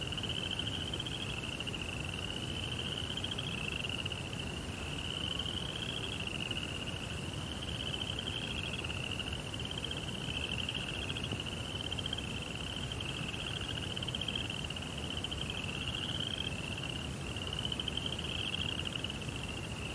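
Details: Crickets singing at night in a Japanese Zen garden with a koi pond. A shrill, rapidly pulsed trill repeats in phrases of about one and a half seconds, each dipping slightly in pitch, over a low constant rumble.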